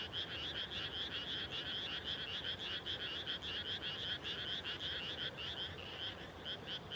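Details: Dusk frog chorus recorded 30 May 2021 in countryside just after rice was planted. Many frogs produce rapid, throbbing croaks in repeated bursts, the calls merging into a continuous pulsing rattle, with brief dips in intensity.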